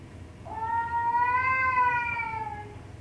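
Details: Domestic cat giving one long drawn-out meow, steady and tonal with rich harmonics, swelling in the middle and fading gently at the end, in a quiet room.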